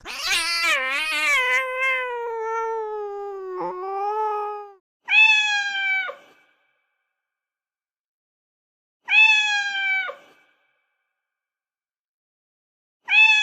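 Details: Cat with a long, wavering, drawn-out meow that slides downward over several seconds, followed by three shorter level meows spaced about four seconds apart, with quiet between.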